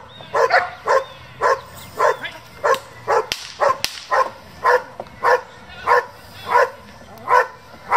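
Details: Barking from German Shepherds of a breeding and competition group, evenly paced sharp barks about every half second, with faint background noise.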